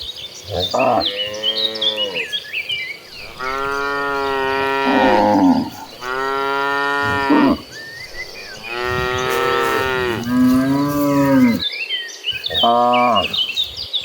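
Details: Dozens of tame cattle walking in a herd to farm pasture keep up a chorus of long, loud moos, bellows of one to two seconds overlapping and rising and falling in pitch, with birds chirping faintly behind.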